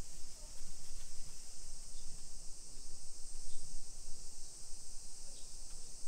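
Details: Summer cicadas in a hillside residential neighborhood of Nisshin city near Nagoya, Aichi Prefecture, Japan, at 1 PM on 28 July 2021, heard during a street walk: a steady, unbroken high-pitched shrill drone over low rumbling street and footstep noise.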